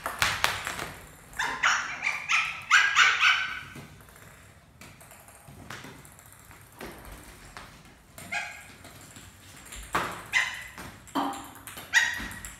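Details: A Lhasa Apso puppy, playing doggy cricket with its family, gives short, high, yappy barks in quick irregular bursts.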